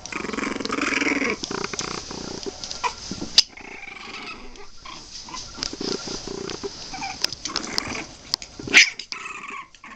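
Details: Twenty-three-day-old Boston Terrier puppies: a sustained gritty growl for the first second and a half, then shorter grumbling bursts scattered through the rest, with scuffling movement and a few sharp clicks.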